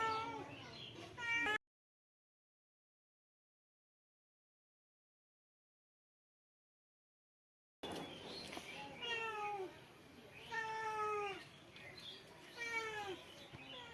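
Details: Short, downward-sliding meows from a male cat, given in a quick irregular series. A long stretch of total silence interrupts the calls, and faint voices may be present.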